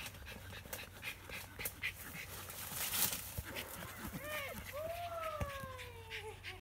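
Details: Schipperke dog discovering a long-lost ball. It gives high, drawn-out whining whimpers, with two long falling tones near the end, after a stretch of panting, rustling and some human speech.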